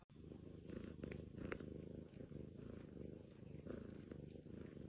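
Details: A cat purring softly and continuously, a low rhythmic rumble with a few faint clicks and rustles in a quiet indoor setting.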